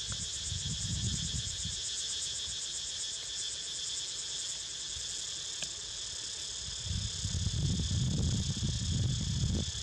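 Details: Steady high cicada buzzing with quick pulsing in the upper band as Niko snoozes, interrupted by bursts of low rumbling noise at the start and end and a sharp click midway.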